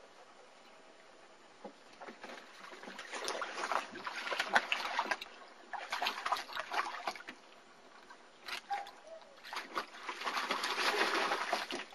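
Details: Splashing and sloshing water comes in repeated bursts, with faint speech and no animal voice.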